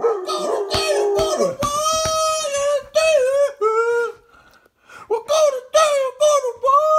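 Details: A female German Shepherd howls along to the song YMCA in drawn-out, wavering notes that slide up and fall away, in short bursts. A voice or the music is heard between the howls.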